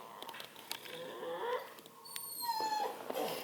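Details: Redbone Coonhound puppy indoors, whining softly in thin high tonal squeaks that rise and bend around a steady faint hum, with a quiet human voice nearby.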